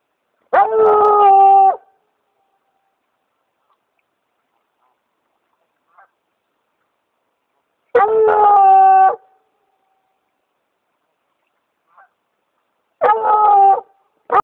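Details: Redbone Coonhound out hunting on a walk, having led its owner over to a tree; three drawn-out, harmonic baying howls, each lasting about a second, separated by gaps of several seconds, with faint brief sounds in between.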